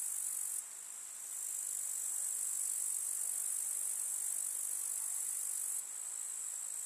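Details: Grasshoppers chirping in a summer meadow with wildflowers in the countryside: a dense, steady, very high hissing buzz of many insects, with no pauses, briefly rising in loudness near the start and end.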